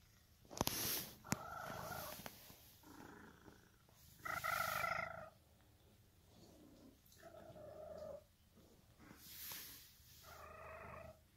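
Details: Pet cat purring in cycles, each rhythmic buzzy stretch lasting about a second with brief pauses between, several rounds heard across the recording; a few sharp clicks near the start.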